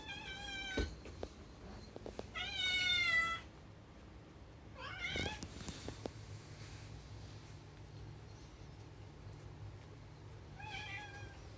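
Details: Rescued cats longing for the outside world meow repeatedly: a short cry, then a longer drawn-out wail, a bent rising meow and a final brief call. Faint clicks and a low hum run throughout.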